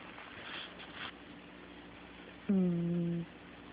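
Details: Soft rustling, then a sleeping cat lets out one low, steady, nasal snore lasting under a second, recorded indoors on an Android phone.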